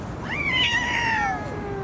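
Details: A huge street cat howls at other cats during a feeding while cats fight over food, giving a drawn-out, wavering howl that rises sharply and then slowly sinks lower.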